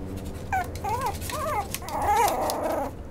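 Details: Maltipoo puppy whimpering indoors: a string of high, wavering whines that rise and fall, four or five short plaintive cries close together over about two and a half seconds.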